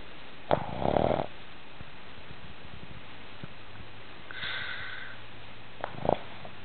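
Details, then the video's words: Bogart, a sleeping Boston Terrier, snoring: a rough, breathy snort near the start and another near the end, with a faint higher whining tone and quiet low rumbling breaths between them indoors. "Boston terrier snoring"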